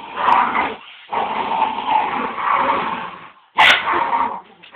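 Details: Border Terrier dogs tugging in a tug-of-war contest give long, harsh, raspy growls of about two seconds each, broken by a short pause and followed by a sudden loud burst near the end.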